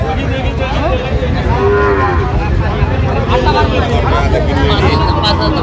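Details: Sahiwal bull calves at a busy cattle market in Jessore, Bangladesh: a drawn-out tonal moo with stacked harmonics, other calves lowing over a constant crowd murmur and traders' voices.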